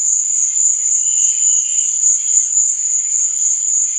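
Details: High, continuous cricket trill at night, shimmering and unbroken, with a weaker lower chirping layer and a brief click near the end.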